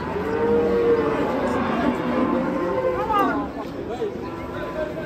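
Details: Fat cattle lowing: a long, steady, tonal moo held through the first second, followed by rougher, wavering bellows with rising and falling pitch. Faint background murmur.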